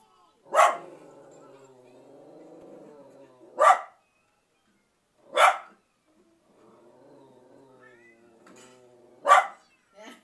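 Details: Pet dog barking at a movie playing on TV: four loud, sharp single barks spaced unevenly a couple of seconds apart, over a quiet, steady murmur of film soundtrack.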